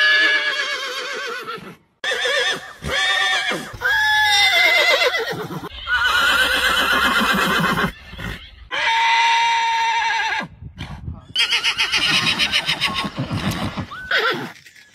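A horse whinnies repeatedly, loud, shrill calls that slide downward and end in a quavering flutter.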